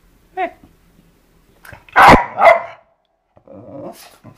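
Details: Eva the dog, playing with a skateboard, lets out a loud doubled bark after a brief high yelp, followed by a low, rough, drawn-out rumble.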